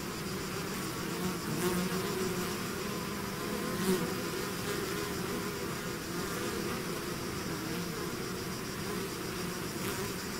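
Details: Swarm of bees emerging from its hive fills the air with continuous droning, a low hum under a broad hiss, occasional brief closer buzzes from single bees passing by.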